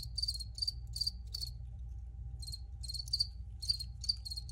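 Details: Crickets recorded for relaxation, giving short bright pulsed chirps in irregular bursts, separated by brief pauses, over a steady low hum.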